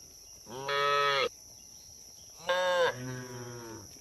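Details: Cattle in a herd roaming along a road, giving two harmonic moos: a short flat call near the start, then a longer one that rises, dips and trails off, with quiet gaps between.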